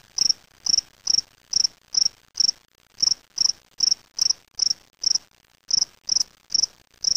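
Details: Steady run of bright, high chirps from a spring field cricket (Gryllus veletis) held in a small cage, collected in Waterloo, Ontario, Canada on May 25, 2007, roughly two or three chirps per second with short gaps.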